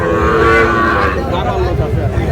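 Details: At the opening of Ambari market in Dinajpur on 10 July, with Sahiwal bull calves being traded: a short, full-toned moo in the first second, fading into loud market chatter and background noise.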